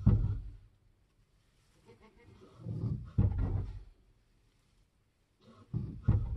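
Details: Nigerian Dwarf goat doe giving birth on a homestead during kidding season, with low, rough groaning bursts: one at the start, a longer one near three seconds and another near the end, separated by quiet gaps.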